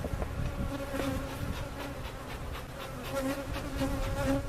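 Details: Many honey bees, removed from a cutout hive and resettled at Jerome Bee Farm in Central Oklahoma, fill the air with a continuous buzzing drone, their pitch holding steady while individual fliers rise and fade close to the microphone.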